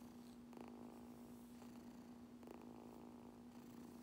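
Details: Kitten purring hard while being brushed indoors; a low, continuous rumbling purr runs under soft scratchy brush strokes that come roughly every second or two, with a steady faint electrical hum in the background.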